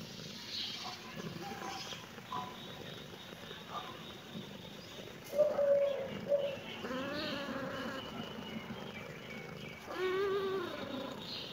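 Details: Kitten meowing in reaction to seeing the camera: a pair of short, clear high meows, then longer wavering meows with rising and falling tones, and one more meow near the end, over steady background hiss.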